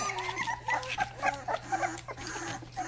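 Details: Rottweiler puppies about three and a half weeks old, giving their first barks: short, squeaky high yips in quick irregular bursts over overlapping whimpers from littermates, with a steady low hum underneath.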